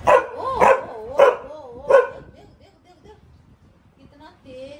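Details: Max, a pet Labrador in a Delhi home, barks toward the street after smelling another dog below: four loud, sharp barks in the first two seconds, with wavering whine-like tones between them, then near quiet.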